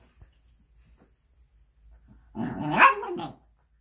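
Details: Shiba Inu dog, healthy a couple of weeks after stomach surgery, breaks a near silence with one harsh, wavering yowl of about a second that rises to a peak and then drops away.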